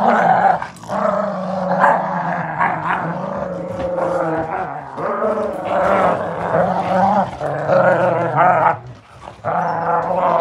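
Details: Playful growling from beagle puppies in a tug-of-war game, steady and rumbling for ten seconds, with low harmonic snarls that surge and dip, one brief break near the end before the growling resumes.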